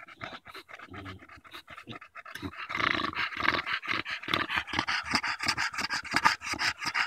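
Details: Bulldog out on a July 2014 walk in Erindale Park, tired after fighting a branch, panting hard: rapid breathy huffs, roughly three per second, growing louder and denser halfway through.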